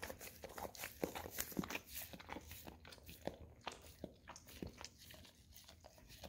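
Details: Golden Retriever indoors working its tongue over an Orapup cleaning brush smeared with peanut butter; crunchy, smacking lick sounds come roughly twice a second, uneven in rhythm, against a soft room background.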